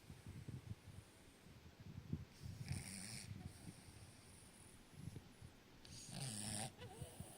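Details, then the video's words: Dog snoring deeply asleep in a person's arms: soft, low, rumbling snores and snorts in slow breathing rhythm, quiet throughout with faint rustling. "Dog snoring in my arms deeply asleep"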